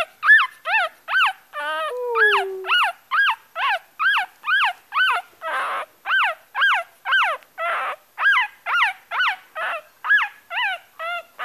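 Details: Crying Yorkie puppy giving rapid, evenly spaced high whimpers, each a quick arched yelp, about two per second, with one drawn-out falling whine early on and a couple of breathier, noisier cries midway.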